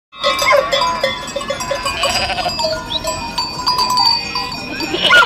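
Several sheep bleat together in quavering, nasal calls that overlap and rise and fall. A constant clatter of metallic bells runs underneath, as from a moving herd.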